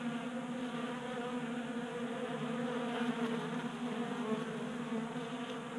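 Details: Many honey bees feasting at a 3D printed bee feeder on a workbench in a Colorado garage, warm January day; dense continuous droning hum with stacked buzzing tones, steady in loudness throughout.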